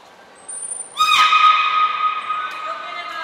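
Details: Beluga during a training session at Port of Nagoya Public Aquarium on 1 November 2020, with the belugas Hodoi, Taanya and Mirai. A short thin high tone is followed by a loud, nasal, harmonic-rich call that holds steady for about two seconds, then fades.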